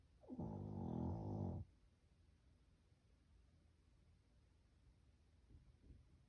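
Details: Shih Tzu dog snoring: one loud, rough, rattling snore lasting over a second, followed by near silence and two faint soft breaths at the end.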